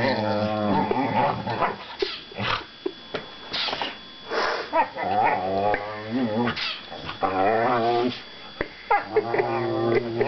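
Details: Two young whippets, Mojo and Finnegan, mouth wrestling indoors: dense rumbling growls with stacked harmonics, rising into whiny yips and squeals in bursts throughout, the loudest around the middle and near the end.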